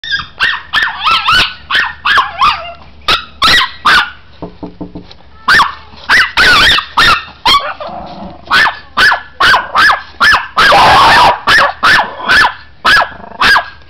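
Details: Chihuahua being teased by a person, answering with rapid high yappy barks in quick bursts, some nearly continuous, with a brief louder noisy burst near the end.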